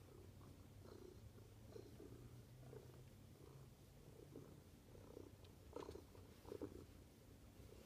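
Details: Soft, steady domestic cat purr: a low continuous rumble with gentle rhythmic pulsing and faint higher breathy bursts, recorded quietly indoors.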